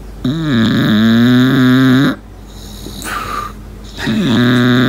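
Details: English Bulldog Lincoln, sleeping in a small room, gives a loud two-second droning whistle-snore that wobbles in pitch. A soft high whistle follows on the in-breath, then the next whistling snore begins.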